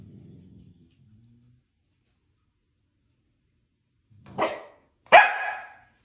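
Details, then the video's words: Quiet low grumbling from a Dalmatian opens, then silence, then two loud harsh barks in quick succession, the second stronger with a ringing tail. "Dalmatian Barking Sound Effect. A Dalmatian In Real Life Barking Will Make You Smile"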